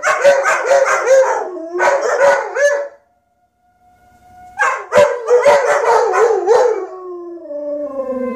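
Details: German Shepherds Ronin and Athena howling wildly, overlapping wavering howls broken by yips and barks, a pause with one thin held tone, then a renewed chorus trailing into a long falling howl.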